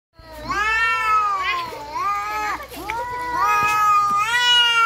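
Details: Domestic cats fighting give long, wavering yowls rich in harmonics, sliding up and down in pitch. Two voices overlap, one higher and one lower, in near-continuous caterwauling with a brief dip midway.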